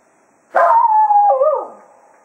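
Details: Cato, the Jack Russell Terrier, sends off the hounds after hunting at Quail Roost with one sustained, level howl that dips and wobbles near its end, then fades out.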